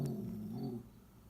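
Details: Toy Poodle Lola, ill but worked up while watching birds outside, gives a low, steady rumbling growl lasting under a second before it fades into quiet room noise.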